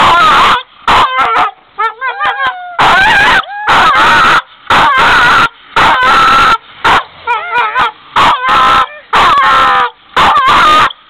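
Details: A singing dog gives warbling, whiny howl-like notes that slide up and down in pitch. They come in short loud bursts about once a second, with harsh distorted noise in between.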